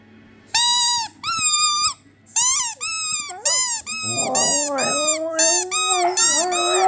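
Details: A Siberian Husky, set off by its squeaky toy, howls in wavering, rising notes after a run of sharp, high squeaks from the toy.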